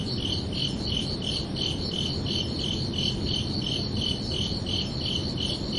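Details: A summer-evening cricket chirping at night, clear high ringing pulses spaced about a third of a second apart in an even series, backed by quiet low rumble.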